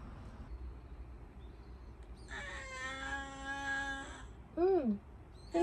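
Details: Indoor house cat in a Japanese home where cats Ten, Sora and Luna live. One long, steady, plaintive meow lasting about two seconds, followed by a short bent call and light room noise.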